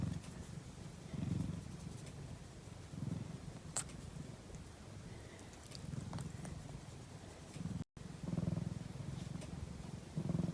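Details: Domestic cat purring while asleep at midday. Deep, continuous vibrating rumble rises and falls with each breath, about every two seconds, broken by a brief silent gap near the end.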